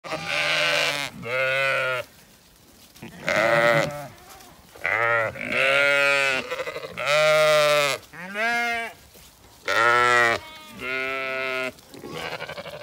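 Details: Zwartbles sheep flock on a regenerative farm in County Kilkenny, Ireland, demandingly following the farmer and an empty bucket after the rams were fed; overlapping harmonic bleats from several sheep, each about a second long, with short pauses between.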